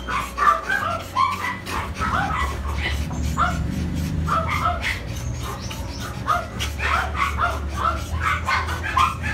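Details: Poodle recorded in Tan Binh District, Ho Chi Minh City, Vietnam, where dogs are mated, barking in quick, uneven high yelping barks almost nonstop, over a loud low rumble of background noise.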